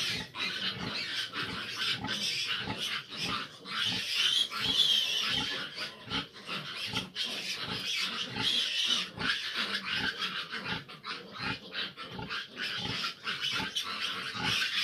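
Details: Fifteen grown piglets jostle at a sow that struggles to nurse them; a shrill squealing chorus runs over quick low grunts, about two or more per second, irregular in spacing.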